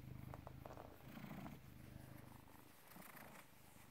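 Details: Purring British Shorthair cat born 18 August 2010, filmed 16 November 2017 at 16:33: a continuous low vibrating rumble, fairly even in loudness, with faint background noise.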